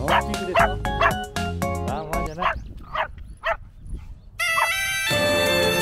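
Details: Pomeranian on a walk at Isesaki Mirai Park, Japan, 3 March 2023 during Kawazu cherry blossom season, barking at the many other dogs there; sharp high yapping barks in quick bursts, over background music that swells up at the end.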